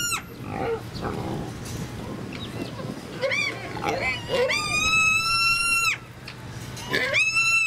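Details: Miniature pigs at Kobe Animal Kingdom, Hyogo, Japan, recorded 8 May 2019: short scattered noisy snorts early, then loud harmonic squeals, one held about a second and a half, ending with a final rising squeal.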